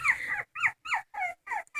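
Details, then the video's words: Dog crying indoors in a small room: a string of high, wavering whines in six separate bursts, each rising then falling, with short silent gaps between them. "Funny dogs crying"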